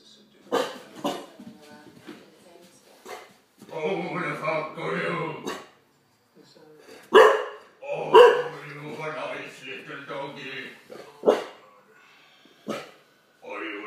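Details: Olde English Bulldogge called Daddy, indoors, scared by a talking Megatron toy: about six sharp, isolated barks spread across the stretch, with the toy's speech-like voice and human talking filling the gaps between them.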